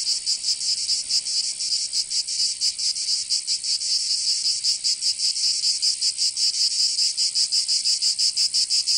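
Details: Provence cicadas in summer, southern France, producing a high sizzling drone with looser, uneven pulses overlapping from several insects, continuous and moderately loud.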